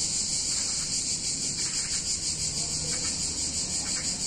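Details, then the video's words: Hot summer day in an Italian town, where a wall of cicada song fills the air: shrill, continuous, sizzling buzz that throbs slightly several times a second, with a soft low rumble underneath. "Cicadas In Warm Summer Day In Italian Town"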